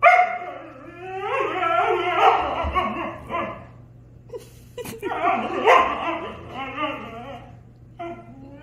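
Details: Husky and German Shepherd arguing indoors: drawn-out, wavering howl-like vocalisations broken by yips and short barks, in two long bursts with a gap between, ending in a shorter whine.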